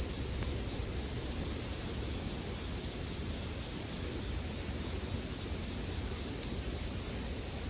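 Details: In sleep ambience paired with a crackling campfire, bell crickets keep up a dense, continuous high-pitched ringing. A fainter, higher shimmer pulses gently above it, and muted low crackle stays in the background.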